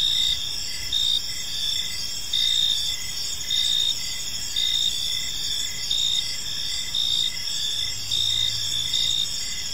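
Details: Park crickets at evening keep up a shrill, steady chorus, with brighter chirp bursts rising about every second and a soft low drone briefly audible near the end.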